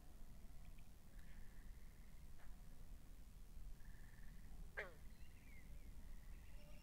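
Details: Pondside frogs captured binaurally, giving brief rattling trills several times, one loud quick descending chirp near the middle, and a constant deep background hum.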